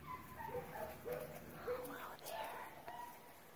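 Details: Seven-week-old Bernedoodle puppies playing outside, giving a string of short, whiny, slightly rising yips and whimpers over steady background noise.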